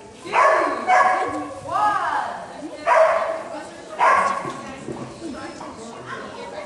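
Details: Bella, a Havanese dog, barks during a master gamble run at a DAWG agility trial in Nanaimo, qualifying just under the buzzer; five loud, high yappy barks come roughly every second, with voices in the background.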